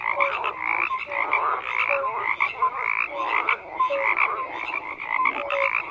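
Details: Numerous frogs croaking together, a continuous raspy pulsing chorus punctuated by short flat tonal notes at irregular intervals, no other sounds.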